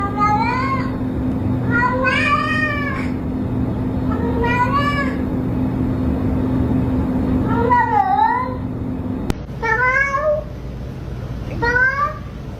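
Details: Domestic cat meowing in a compilation of funny, cute cat sounds; short rising-falling harmonic meows repeated about every two seconds, some bending up and down, over a steady low hum, with an abrupt cut near nine seconds.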